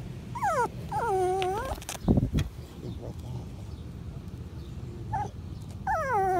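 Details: Patterdale Terrier puppies, five weeks old, in a PVC-pipe earth tunnel whine in falling, wavering whimpers in spaced bursts, with thumps and bumps midway and a soft human voice nearby.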